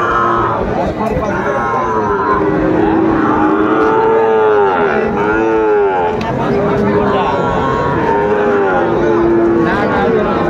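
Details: Sahiwal bull calves at a Chittagong cattle market on 16 September 2024: several overlapping drawn-out harmonic moos, some rising and falling in arcs, over steady crowd chatter, bargaining voices and vehicle noise.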